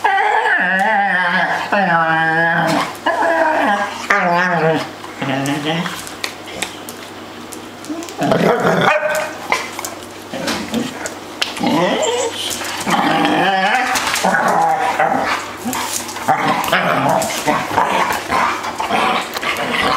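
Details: Three dogs at play fill the air with rapid, overlapping yips, whines and wavering howl-like yowls, pitched calls sliding up and down almost without pause, with brief human voices mixed in.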